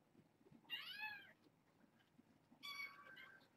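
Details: Bedtime kittens, a litter born August 29th and brought through Purrfect Pals, give two high, arching meows separated by about two seconds of quiet room noise.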